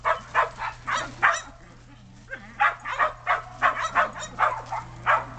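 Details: Sheltie dogs excited by snow, racing between yard and deck, barking in quick irregular runs, a brief lull near two seconds, then fast barking resumes.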